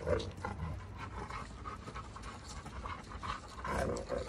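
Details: Two Giant Schnauzers, Garvey and Luther, fight each other in a heated argument. Rough low rumbling snarls come with breathy, panting bursts, and a louder flare-up arrives near the start and again near the end.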